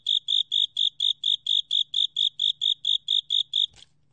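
Japanese burrowing cricket song: bright, pure chirps repeated evenly about twice per second.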